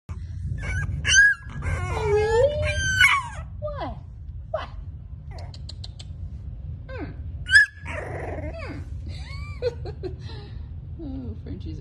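A French Bulldog puppy gives high, wavering whines and yelps, calling for her mother.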